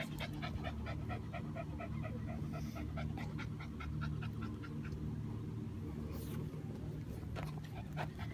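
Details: Shih Tzus panting while trying to beat the summer heat; quick, regular breathy pants, several per second, fading partway, with a faint voice and a continuous low background hum.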